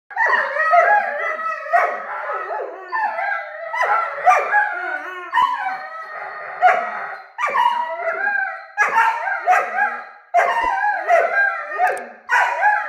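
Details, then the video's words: Two nine-month-old Weimaraner puppies, Mika and Nara, arguing with each other: a running exchange of grumbling, yodelling howl-like moans and yips, rising and falling in pitch, broken by short pauses. "Weimaraner Puppy Argument About..."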